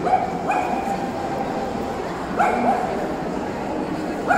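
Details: Tibetan Terrier barking at the 2018 Euro Dog Show: quick yaps, two in close succession, then a pause and another pair, then one more, against steady background chatter.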